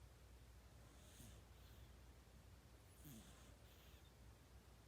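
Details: A sleeping kitten snoring like a person: two soft, breathy hissing snores about two seconds apart, faint against a quiet indoor background hum.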